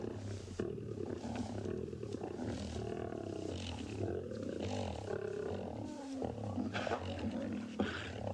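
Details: At Tswalu Kalahari Game Reserve, South Africa, on the morning of 25 May 2020, lions squabble over a carcass; low continuous snarling growls rise and fall for eight seconds, with higher cub contact calls mixed in.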